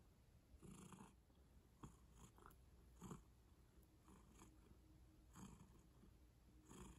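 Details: Close, quiet purr of a pet cat: a continuous deep rumble broken into uneven breathy surges about every one to two seconds, with small rustling touches between them.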